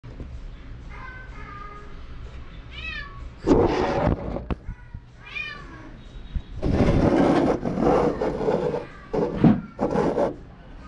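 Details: White deaf cat, fully deaf, relaxing in an apartment; short rising-falling meows around one and three seconds, then louder broadband rustling and handling noises with bursts of thumps through the rest.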